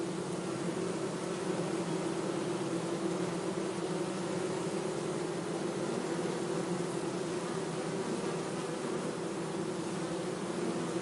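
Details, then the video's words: Bee buzzing as a dense, unbroken drone, fairly even in loudness, with a rough, noisy texture over the low hum. "bee buzzing sound - zumbido de abelha"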